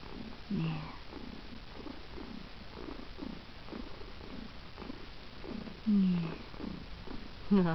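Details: Male domestic cat called Daddy X purring indoors. A low, steady rumbling pulse repeats throughout. Short rising chirps break through near the start, around six seconds and at the end. A woman's soft voice is heard over it.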